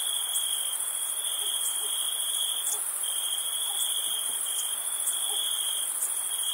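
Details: Crickets chirping at night on a summer camping trip, a dense, continuous high-pitched trilling with a steady ringing band and a fainter shimmering layer above, pulsing with slight rhythmic breaks, with no other clear sounds.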